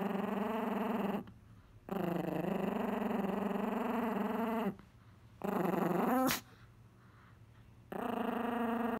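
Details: Angry Chihuahua defending his pizza crust, producing long throaty growls with a fast pulsing texture in four bouts, one ending in a sharp snap, separated by quiet gaps.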